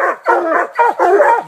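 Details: Four coonhounds, two Walkers aged eight months and five years, a six-year-old Black and Tan and an eighteen-month-old Bluetick, bay at a treed raccoon in a new hunting spot. Overlapping harmonic bawls rise and fall, three to four per second-and-a-half.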